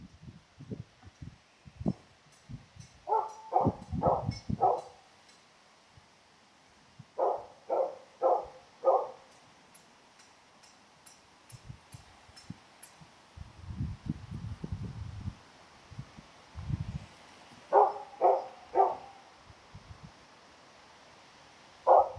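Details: Female Karelian Bear Dog filmed in June 2016, seeking friendly attention, gives short ringing yips in tight groups of three or four, separated by pauses filled with low thumps and rustling.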